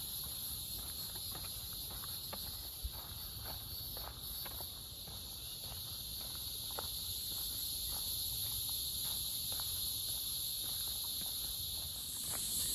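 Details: A dense cicada chorus high in the trees fills the woods with a steady, shimmering buzz, footsteps crunching below, on the Blackjack Trail at LLELA Nature Preserve, Lewisville, Texas, by Lake Lewisville, May 28, 2023.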